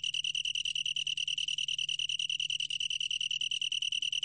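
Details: High, sweet, pulsing trill of a long-tailed tree cricket, steady in pitch and rhythm for the whole stretch, over a quiet low hum.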